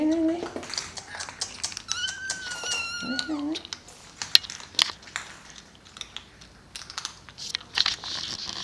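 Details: Maine Coon kittens of litter T from Crocoon Stanis and queen Kohun Bruna the Amazonia, weaning onto solid food at a cattery: a drawn-out high wavering kitten mew near two seconds after lower cries, then crinkling, clicks and a person speaking.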